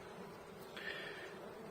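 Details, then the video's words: Honey bees in a hive colony seven weeks after a nucleus was installed, with a healthy laying queen marked with a red dot, heard during a hive inspection: a soft, steady, low droning hum with a brief brighter scrape near the middle. "Bee Hive Inspection"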